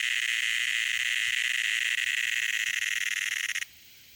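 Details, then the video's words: Shrill, steady buzzing of a cicada making a loud noise, rapidly pulsed and continuous, then cutting off abruptly about three and a half seconds in, leaving near silence. "CICADA is making a loud noise"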